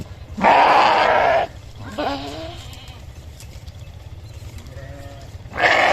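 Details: A sheep bleats loudly for about a second, gives a fainter wavering call, then begins another loud bleat after a pause of quiet hum.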